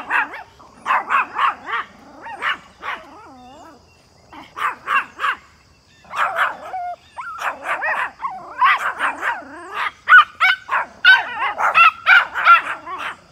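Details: Pomeranians spotting a big deer in the back yard bark at it in rapid, high-pitched bursts, sharp yaps coming in quick clusters.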